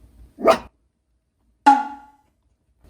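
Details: Puppy at its first meeting with a younger two-month-old female black-and-tan Shiba Inu puppy, indoors: two short sharp yelping barks about a second apart, with silence between.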